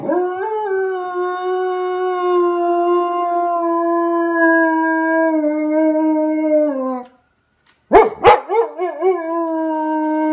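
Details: German Shepherd copying the sound of a police siren; one long steady howl held about seven seconds, slowly falling at the end, then after a pause a series of wavering, yodelling howl notes.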